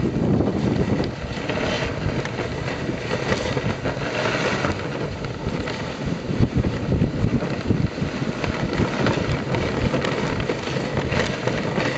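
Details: Strong wind buffets the microphone in a continuous rushing roar, with no distinct calls.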